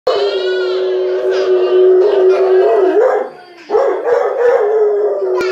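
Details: Domestic dog crying for another dog, giving a loud, sustained howl held steady for about three seconds with slight wavering, broken by a brief dip, then resuming in a quavering, whining tone.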